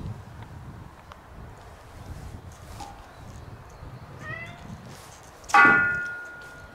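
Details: Stray black cat at a shrine, rubbing against a visitor, makes a short soft meow, followed by a sharp loud knock with a ringing tone over quiet outdoor background.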